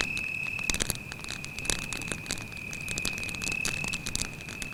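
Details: Steady high cricket trill near a forest campfire at night, level and constant, overlaid by dense crackling and hissing bursts from the fire.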